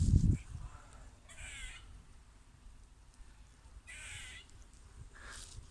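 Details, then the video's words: Squirrel giving two short, harsh, raspy, duck-like calls spaced about two and a half seconds apart, with a faint third near the end, over quiet outdoor background. "Squirrel making funny sounds"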